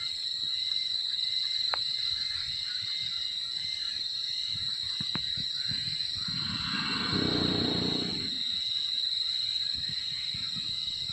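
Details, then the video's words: Sleeping wild Sumatran elephant gives one long, hoarse snoring breath near the end, swelling and then dying away, while a constant shrill insect chorus hums throughout and scattered sharp ticks sound earlier. "Suara Dengkuran Gajah Liar Saat Tidur"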